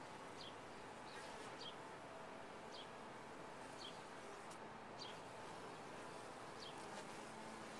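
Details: Honey bees humming steadily at a top-bar hive, a thick low drone holding level from start to finish, with scattered quick high bird notes above.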